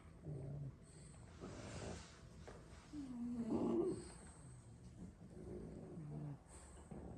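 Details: French Bulldogs, six siblings sleeping after plenty of play, snoring indoors; low rough snorting breaths with a rising whistled tone near three to four seconds, several quieter breaths after.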